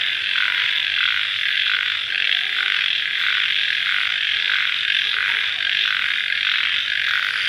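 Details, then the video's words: After rain at night, crickets keep up a thick, even, high-pitched trilling wash that beats in regular waves, steady from start to finish. "Suara Jangkrik Dimalam Hari Sesaat Setelah Hujan"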